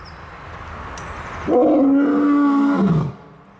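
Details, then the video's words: Lion producing a single sustained, even-pitched moaning roar of about a second and a half after a quiet start, then falling away. "Lion Roar Compilation"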